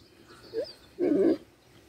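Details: French Bulldog puppies at a kennel in Vladivostok give a short yelp, then a longer whiny, grumbling vocalisation.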